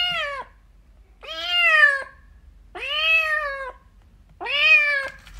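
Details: Kittens at play meowing loudly: four long, bright meows, the later ones slightly falling at the end, repeated roughly every one and a half seconds in a quiet indoor space.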